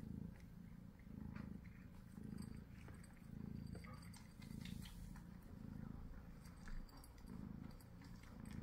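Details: Purring Munchkin cat at mealtime: a deep, continuous rumble that swells and eases roughly once a second, with light clicking and handling sounds over it.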